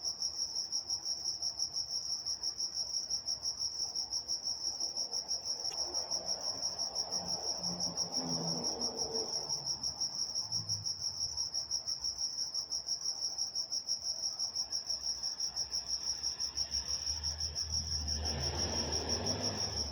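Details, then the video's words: Night-time crickets in Walnut, California keep up a continuous shrill, high-pitched trill with a quick, even pulse, while a faint, low, murmuring background noise rises briefly mid-recording and again near the end. "Nature Sounds Night Time Crickets in Walnut, California"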